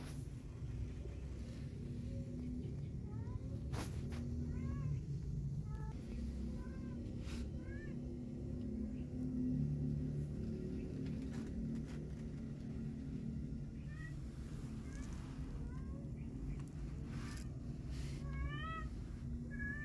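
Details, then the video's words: Fawn-coloured fluffy kitten eager to go outside with its cat mother: bursts of thin, upward-sweeping meows in rapid clusters, separated by pauses, with a few sharp knocks and a constant low hum behind. "Fluffy Fawn Kitten Want to Walk Out With Cat Mom"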